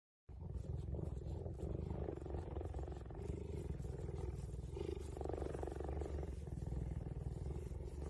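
A cheetah purrs in a steady, deep, throbbing rumble that carries on without a break.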